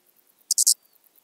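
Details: Eastern banded grasshopper stridulating at Zalahalap, Hungary, on 18 July 2022, giving three loud, high, hissing pulses in quick succession, then quiet.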